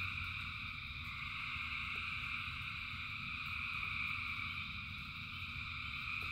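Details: Countless frogs singing during rain, their calls blending into a steady, shimmering high trill with no pauses, layered over low, even rain noise and a few faint knocks.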